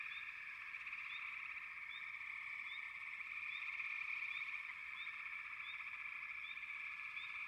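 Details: Many frogs trilling together in a constant buzzy drone, topped by brief rising chirps that repeat roughly every half second to second.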